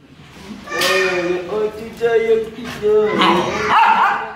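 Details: Jealous female Siberian Husky vocalizing in drawn-out, wavering, howl-like moans that rise and bend in pitch, in several joined phrases, ending in a higher, strained whine.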